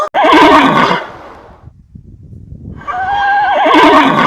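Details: Horse neighing: two loud, shrill whinnies with a quavering, wavering pitch, one at the start and one after a quiet gap of about two seconds, each lasting roughly a second.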